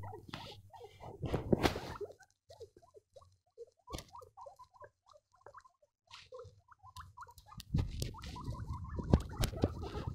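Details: Baby guinea pigs squeaking: scattered short, chirpy squeaks in quick irregular succession, broken by loud rustling and handling thumps at the start and end.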